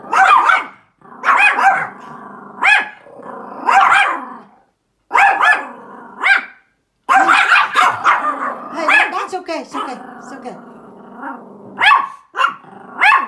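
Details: Feisty Pomeranian barking outdoors at a big dog, owner asking it to stop; bright, sharp yaps come in irregular bursts over the whole stretch, some doubled, with a few gaps and soft voices between.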